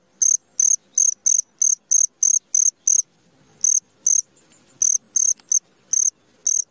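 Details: Midnight cricket chirping in high, clipped pulses about three per second, breaking off into a short pause before resuming more irregularly; faint low rustling in the gaps.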